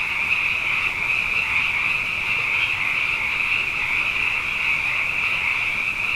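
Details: Night chorus of many frogs, plentiful after two consecutive wet years: continuous high-pitched trilling from countless overlapping callers, even and unbroken throughout, with no other sounds standing out.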